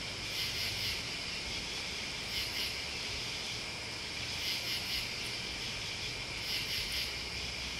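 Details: Crickets and bugs give an unbroken high whirring drone, with groups of sharper pulsed chirps rising out of it at intervals of about two seconds and a muted rumble in the background.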